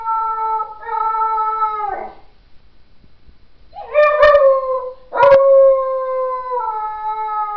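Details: Young puppy giving wolf-like howls, drawn-out steady tones that drop at the end, followed after a pause by a rising yelp and another long, even howl held for several seconds.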